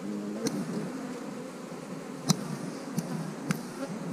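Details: Honey bees around hives being split, with queen cells in the splits: a steady low droning hum with faint higher overtones, broken by a few sharp clicks and knocks from handling.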